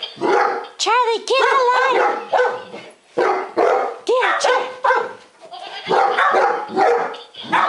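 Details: Golden Retrievers afraid of a laughing lion toy give rising-then-falling yelping barks in quick pairs and clusters, while people talk and the toy sounds in between.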